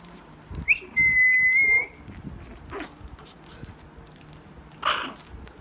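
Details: A Shih Tzu puppy gives a single high, steady whistle-like whine lasting about a second after a brief sharp onset, followed by quiet shuffling and a faint short squeak near the end.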